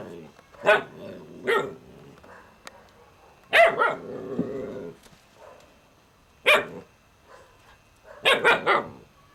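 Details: Kane, an Alaskan Malamute puppy, lets out short, sharp barks and yelps in irregular bursts, about six in all, with a longer growly, rumbling stretch near the middle and faint speech between calls.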